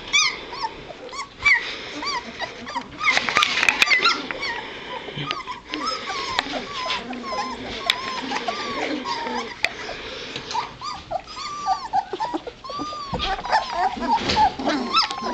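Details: Litter of two-and-a-half-week-old White Shepherd puppies moving about: a steady stream of thin whining squeaks and short yelps from several pups, with brief human speech and rustling handling noises.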